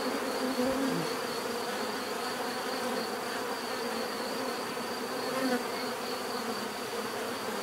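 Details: Natural bee buzzing, a constant layered hum with a couple of louder close passes early and midway, plus a thin steady high tone.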